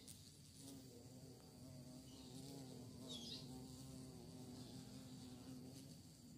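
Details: Bee searching for prey, its buzzing wing hum a steady low drone with faint wobbling overtones. A brief high chirp sounds midway against a constant hiss.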